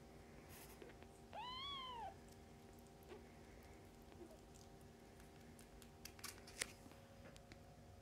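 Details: Fostered kittens born around early October, nursing and playing indoors with their mother cat Mummy, awaiting adoption through the Humane Society of North Texas; one clear rising-then-falling mew lasting under a second, then quiet room noise with small clicks.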